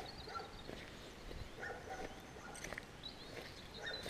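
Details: Village dog barking insistently while hikers head out on foot, GoPro Hero recording; a run of quick, fairly faint yapping barks spaced roughly half a second apart, with footsteps and steady outdoor hiss underneath.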